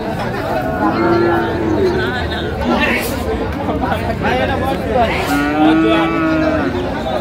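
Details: Friesian and crossbred heifer calves at Raniganj Haat cattle market, Dinajpur, on 29 January 2025: two drawn-out, low mooing calls a few seconds apart over steady crowd chatter and bargaining voices.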